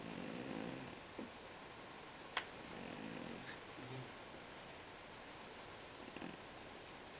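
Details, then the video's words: Domestic cat snoring while asleep in a quiet room: low, husky breathing sounds rising and fading at the start and again near the middle, with a single sharp tap and constant faint background hiss. "Кошка храпит"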